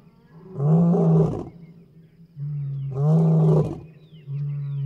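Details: In early morning at about half past five, a big male lion lying about 100 metres from the Chobe River in Botswana gives two deep, throaty roars about two seconds apart, each swelling then fading, over a steady low boat engine drone.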